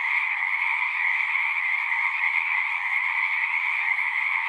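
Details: A continuous chorus of many frogs, their rapid trills blending into one bright, pulsing drone at two pitch levels, with no other sounds.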